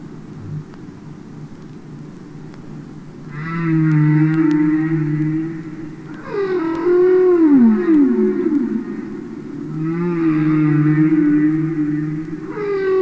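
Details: Real humpback whales singing underwater, taken from a record album: a low sustained moan, then a loud harmonic cry that bends down in a long glide, followed by another wavering moan and the start of a fourth phrase.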